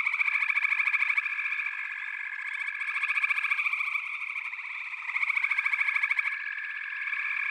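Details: Backwater frog chorus with overlapping pulsed trills, rhythmic swells of louder calling roughly every few seconds over an unbroken drone of many frogs.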